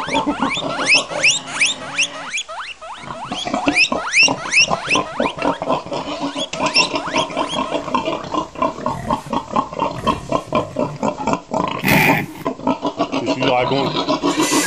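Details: Pig producing rapid, repeated short squeaky grunts in a steady stream, about several per second, with a brief louder rasping burst near the end.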